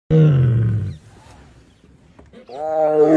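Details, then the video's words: Tiger roaring: one deep, harsh roar lasting about a second, followed by a pause and then a rising, tonal, growling roar at the end. "বাঘের গর্জন"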